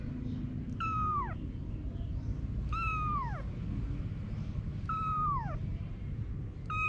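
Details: Mother cat Anna with her kittens: three high, clear meows, each sliding downward, spaced about two seconds apart over a steady low rumble.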